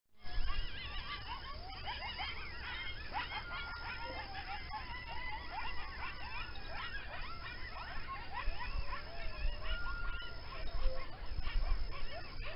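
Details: Coyotes howl and yip together in a dense, wavering chorus over a low background rumble, calling close to the recordist's home.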